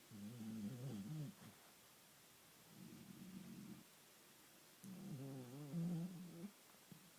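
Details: Sleeping Bull Terrier snoring while apparently dreaming, alongside a person's snoring. Low, rumbling harmonic bursts with wavering, undulating pitch come in three bouts separated by quieter pauses.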